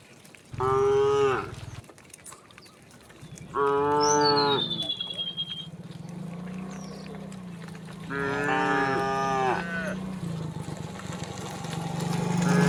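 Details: Cows walking leisurely along a rural road toward their resting place, under open sky amid green country, give loud, drawn-out moos, each a rich harmonic bellow about a second long.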